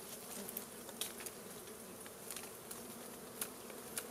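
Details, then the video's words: Wild honey bees at a hive smoked out for harvesting honey; a dense, continuous humming buzz fills the whole clip, with faint ticks and crackling scattered through it. "Harvesting Honey Bee"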